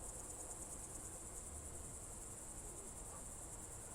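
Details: Crickets on a June 2023 evening in the Novye Buregi tract, Novgorod Oblast: a steady, high, shimmering trill that pulses rapidly without pause, over a soft low rural background hum.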